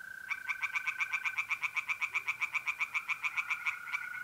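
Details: Rapid, regular train of clipped nasal croaks from a tree frog, roughly four per second, on a mid-April night at a pond in north-east Italy; a steady mole cricket trill hums beneath.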